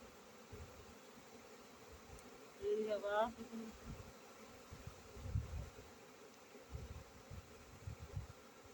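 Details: Honey bee buzzing: a low, steady droning hum with a fainter overtone running through, interrupted near the third second by a brief human voice, with soft low rumbles underneath.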